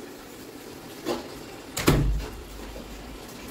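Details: Indoor room noise with two dull knocks or door bumps, the second louder and booming, and otherwise quiet hum, no animal sound.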